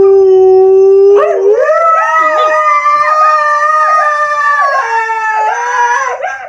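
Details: Siberian Husky howling on request: a steady low tone opens, then the voice swoops upward into a long wavering howl with repeated dips and rises, rich in harmonics, ending on a sliding note.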